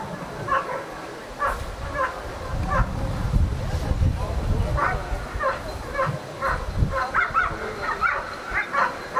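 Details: Ivar vom Falorie, a dog working the protection phase at the NIAK 2015 dog sport trial, gives bursts of sharp barks in irregular runs, over low rumbling wind or handling noise and some voices.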